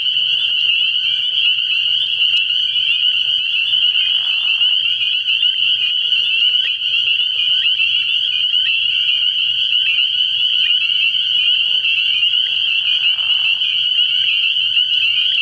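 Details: Many spring peepers call together at a pond after dark early in the year, a shrill, unbroken wall of high peeping. Brief lower chirps stand out near the middle and end.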